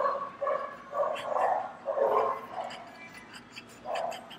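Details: Inside a PetSmart store, dogs bark while a French Bulldog hears them; paired and clustered barks crowd the first half, then a pause before one more bark near the end.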